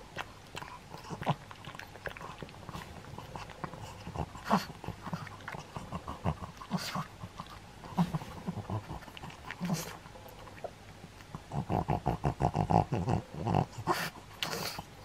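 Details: A pug makes scattered short snuffles and huffs, then near the end breaks into a fast run of rhythmic snorting pulses, several per second, before easing off.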